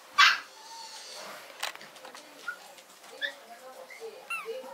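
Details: A Yorkshire Terrier at a breeder, recorded 16 November 2012 around 21:47, gives one sharp, high bark, then a few thin, short whines; Yorkshire Terrier.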